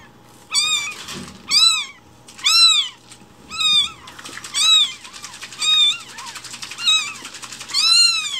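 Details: One-week-old rescued foster kittens, umbilical cord still attached, indoors in Japan. High, arched meows repeat about once a second in a steady series, each strong and clear over a faint background hum.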